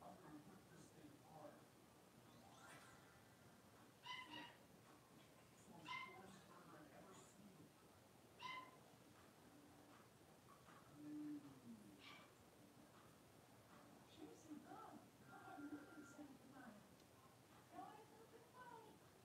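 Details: Five blenheim Cavalier King Charles Spaniel puppies, born at New Year's, playing together indoors in a puppy pen; short high yips and squeaky whimpers come in scattered bursts, some clustered, over a quiet room background.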